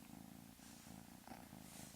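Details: Pet cat known for a strange, quiet vocal habit; a low, throaty purr rising and falling in breathing cycles roughly every half second, heard softly throughout.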